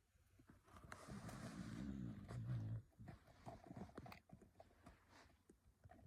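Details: Snoring from a sleeping dog: a long, low, rasping snore lasting nearly two seconds, followed by softer breathing and scattered small clicks.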